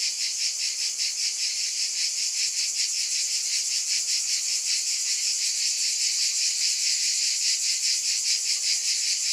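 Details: Shrill, hissing cicada chorus holding an even high drone, gently pulsing around two to three times each second throughout.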